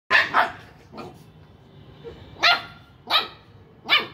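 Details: Two-month-old heavy-boned Bullmastiff puppy barking: sharp, bright barks, a quick double at the start, then single barks spaced roughly every half to one second, with quiet room background between.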